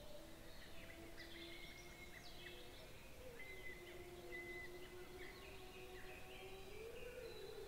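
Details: Gray wolves (Canis lupus), recorded by a trail camera on 14 May 2022, howl in the distance in long, smooth, drawn-out tones, with faint bird chirps above them.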